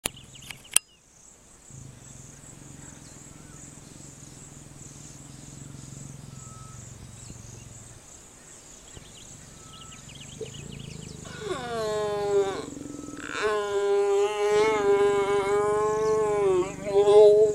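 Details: In Africa, a young male lion with a small mane and a female give harsh, harmonic snarling growls during mating in mating season, over a steady insect hiss.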